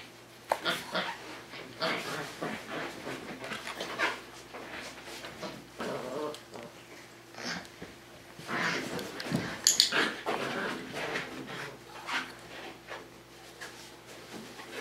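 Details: Tamaskan Dog puppies, five weeks old, busy with the Puppy Culture box game indoors: breathy panting and sniffing bursts, rapid and irregular, over constant scratching and shuffling, with faint voices.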